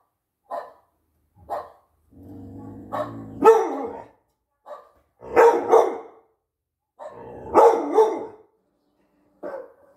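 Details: Six-month-old UKC American Pit Bull Terrier barking at dogs seen on TV: short sharp barks and harsher barking bursts, with a low growl near the start. The barks come every two seconds or so.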